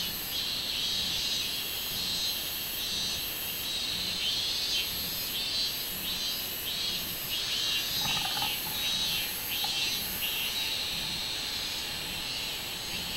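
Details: Minminzemi singing, 24 July 2016, shrill pulsed buzzing repeated at a steady beat for over thirteen seconds, with a short lower tonal sound around the eighth second.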